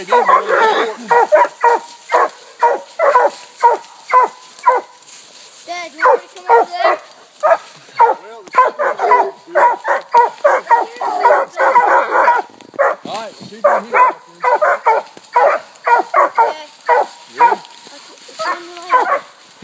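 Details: Coonhound pack of walkers, a blue tick and a black and tan treeing a raccoon soon after turn-out; dense chorus of overlapping barks and chops, nearly two per second, continuing without pause.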